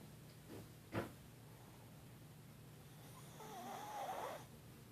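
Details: Snoring tiger: a short sharp snort, then after a pause a longer rasping snore with a wavering tone, all over a constant low background hum.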